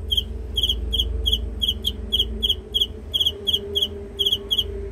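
A cricket chirps steadily, short high pulsed trills repeating about twice a second over a low hum.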